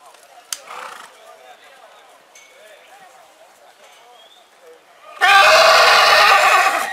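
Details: Purebred horse in spring: after quiet chatter and faint stirrings, a loud, harsh, broadband neigh erupts in the final two seconds and runs to the end.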